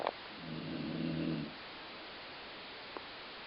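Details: Colline the dog snoring, a sound likened to a growling stomach: one low, rough, buzzy snore lasting about a second, then quiet with a faint click near the end.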